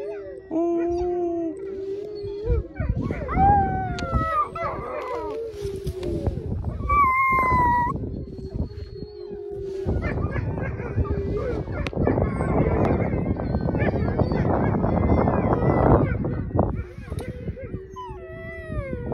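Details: Three wolfdog puppies learn to howl with adult wolfdogs: low sustained adult howls joined by higher, wavering pup howls.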